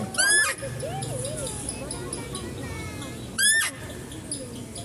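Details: Zoo female deer giving two brief, piercing squealing calls about three seconds apart, each a rising harmonic-rich note, with soft speech and faint chirping between them while stags are being fed.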